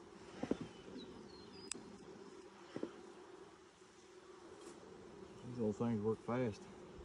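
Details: Honey bees humming softly in a hive inspected six days after nuc installation in 2020, with a laying queen present somewhere inside; a quiet, even drone with faint clicks, then a few spoken words at the end.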